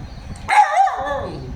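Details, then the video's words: A pet puppy billed as a 'talking' puppy makes one drawn-out, whining, yowl-like cry of about 0.7 seconds. Its pitch bends down, then levels off, with rich harmonics. A woman speaks Tamil around it. "பேசும் நாய் குட்டி"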